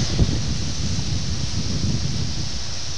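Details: Steady outdoor wind rumble and hiss against the microphone, with rustling and no clear animal calls.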